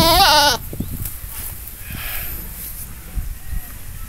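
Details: A single brief, tremulous goat bleat opens the recording, then gives way to low background noise and faint rustling.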